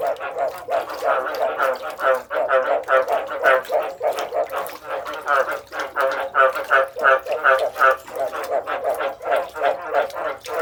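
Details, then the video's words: A chorus of frogs gives throaty, bleating croaks in quick succession, roughly three per second, uneven in timing and loudness, forming a continuous pulsing clamor. "The sound of frogs crying 100% / សម្លេងកង្កែបយំ 100 %"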